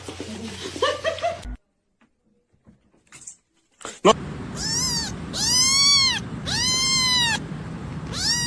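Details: A cat gives loud, drawn-out meows, each with a rising-then-falling arc, repeated about once a second in the second half. Noisy, muffled sounds come first, followed by a near-silent gap.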